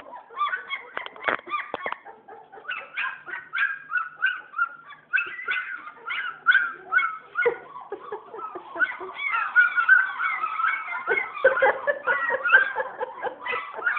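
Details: Litter of German Shepherd puppies born December 27, 2010, squealing and whining in dense, overlapping bursts, a short pause near the middle, then an even busier chorus of high whimpers and yelps.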